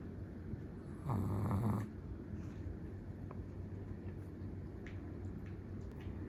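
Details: A sleeping Chihuahua gives a single drawn-out snoring breath lasting under a second, a low rough buzz with a faint higher rasp, then only quiet room hiss.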